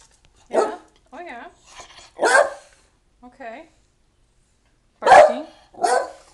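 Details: Pet dog barking to tell its owner to hurry up and get ready to go to the library: loud, sharp single barks spaced a second or more apart, with a woman talking in between.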